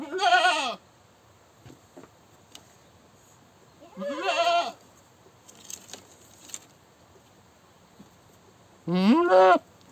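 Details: Three separate goat screams spaced about four to five seconds apart, each a harsh, quavering bleat under a second long, with quiet background and small knocks between them.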